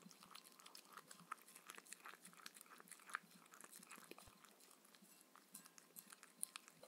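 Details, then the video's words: Mindy, a Shetland Sheepdog, eating her evening dinner of raw kangaroo food and grain-free kibble with coconut oil indoors; irregular wet crunching and chewing clicks with lip smacks, no talking, quiet room background. "Dog eating sounds"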